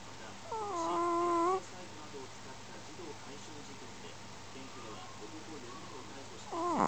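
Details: Smooth Chihuahua asleep and snoring in darkness. A whistled, nasal tone opens, held about a second. Several seconds of soft breathing noise follow before another whistling snore starts at the very end.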